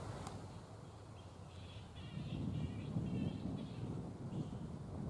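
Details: Black flying foxes at their roost in mid-morning, not yet settled for the day: harsh, squabbling harmonic calls rise and fall in short bursts through the middle seconds, over a constant low rumble of wind or distant traffic.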